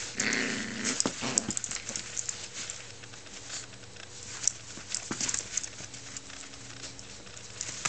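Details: Puppies playing tug with each other; a short, low, rough growl opens the recording, then scattered sharp clicks and scuffling noises from the tussle fill the rest.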